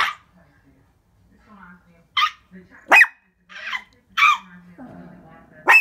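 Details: Excited pet Shih Tzu yapping at the window: scattered high, sharp barks at irregular intervals, interleaved with a person's soft speech and household murmur.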